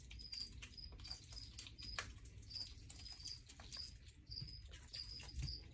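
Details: Meerkats give thin, high chirps in quick succession over crunching and rustling as they eat mealworms, morio worms and crickets for breakfast.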